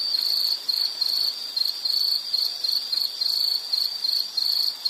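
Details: An insect calls in short bursts of high, ringing pulses separated by brief pauses, the phrases uneven in length, set against a soft constant hiss.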